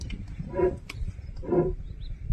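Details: Asiatic lion in Chaturi village near Gir forest, Amreli, Gujarat: two short, hoarse, grunting roars about a second apart, heard over a rumbling, noisy background.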